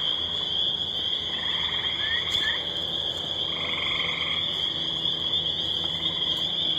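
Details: A loud night chorus of spring peepers near water, heard after fishing, their high piping merging into a steady shrill wall, with gray tree frog trills.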